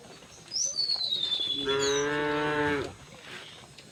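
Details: Single drawn-out cow moo lasting over a second, rich in harmonics and falling at the end, from cattle walking through a village to the fields; a thin descending bird whistle precedes it.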